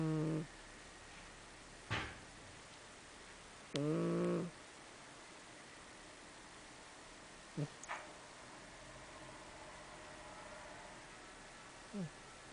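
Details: Sleeping pet cat named Chii-chan snoring indoors: a few short, low, raspy harmonic snores at uneven intervals, each under a second, with the longest near four seconds, separated by quiet stretches.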